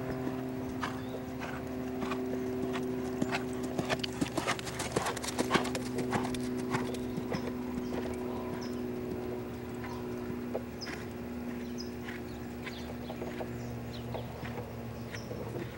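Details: Lusitano stallion, named Lavrador, moving with a rider or handler: irregular clip-clop hoofbeats about one to two per second, a dense burst around the middle, with steady low hum and faint background sounds.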